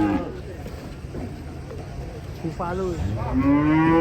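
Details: Several cattle from a collection of funny cows make brief moos. A rising-then-falling call is followed by a steady drawn-out one toward the end, over low rumbling noise.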